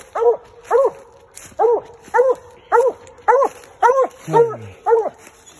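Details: Redbone Coonhound baying at a treed raccoon during a night coon hunt: loud arched barks with strong harmonics, repeated about every half second, about nine in a row, with a man's voice briefly under the last few.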